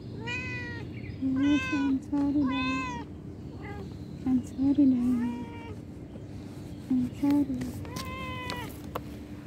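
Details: Domestic cat meowing repeatedly, five or six clear, drawn-out rising-then-falling meows spaced about a second apart, with a low human voice murmuring underneath.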